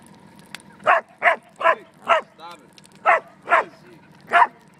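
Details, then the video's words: A dog barking at a fire gives short, sharp bursts, about seven in a few seconds, with a faint whine between. "Dog barking at a fire"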